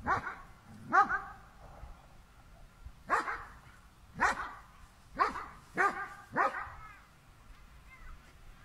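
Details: German Shepherd dog facing a cow, barking repeatedly: seven strong, harsh barks at uneven intervals, some in close pairs, over light background noise.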